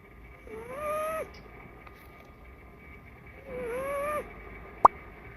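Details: Blue point bicolor Ragdoll kitten snoring with a strange sound. Two drawn-out whistly tones, each about a second long and rising gently, come about three seconds apart, with a sharp click near the end.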